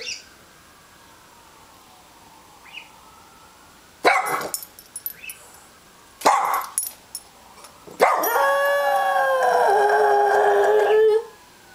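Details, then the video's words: Dog named Chester howling in response to a siren: a faint wavering siren tone first, then bursts of barking and a long drawn-out howl with sliding, wavering pitch that gradually falls and ends abruptly. "Chester howling at siren"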